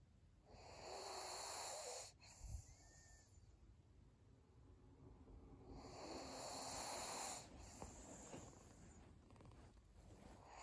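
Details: Sleeping senior pug named Maria: two long, hoarse breaths a few seconds apart, each a raspy, snoring whoosh with a faint snort in the quiet gap between them.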